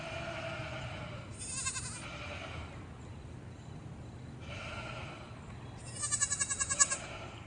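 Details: Farm baby goat bleating three times in a row: a short trembling cry, a fainter softer one, then a longer strong bleat with a fast rhythmic quaver near the end, against low background noise.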